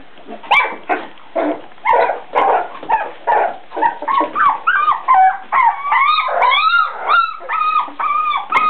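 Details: Four-week-old Beagle puppies calling together, a stream of rising and falling whines and yips, some high and tonal with bent, wavering contours, others short and raspy, following each other rapidly about twice a second.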